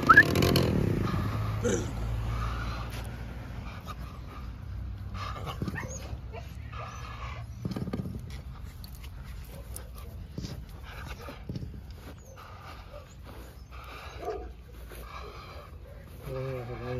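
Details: Red-nose American Staffordshire Terrier Draco gives scattered short yips and breathy bursts, ending in a wavering whine, with human voices and handling noises around him.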